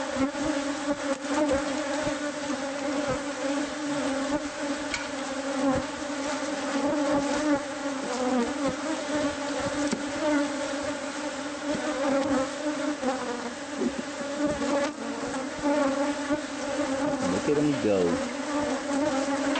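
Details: A bee colony nesting inside house walls, exposed during removal by pest control. Dense, continuous buzzing hum with a steady low drone throughout and small crackles and scrapes from the work.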